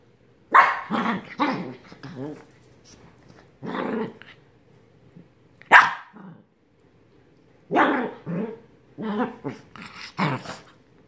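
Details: Yorkie Pomeranian dog growling and barking when wanting more attention; grumbling growls break into short rough barks in uneven bursts, with pauses of silence between them.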